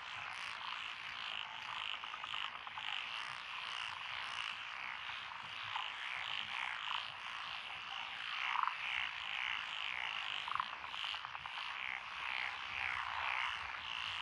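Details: Rural paddy-side lane among lotus fields, Echizen, Fukui, Japan, June 12 2021: a mixed chorus of Japanese tree frogs, pond frogs, wrinkled frogs and green tree frogs. Continuous rattling, bright croaks layered densely, with a few sharper notes standing out.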